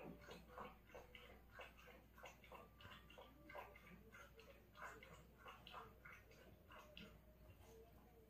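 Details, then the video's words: Dog eating treats and drinking water indoors; rapid wet lapping and chewing clicks repeated roughly every half second, with a faint steady hum underneath. "간식도ㅎ물도ㅎ 어찌그리 맛있게도 먹는가?"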